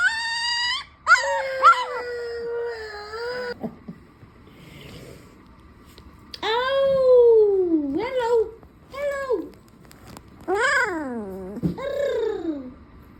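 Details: Two-week-old ginger Siberian Husky puppy boy howling and yawning: a wavering high howl, then several arching cries that rise and fall, separated by quiet breathy gaps, with faint background murmur.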